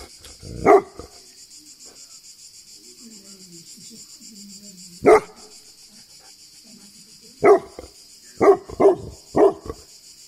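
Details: Tibetan Mastiff from Greece giving deep single barks, one near the start, another about four seconds later, then a quick run of four; faint low murmuring fills the quiet gaps.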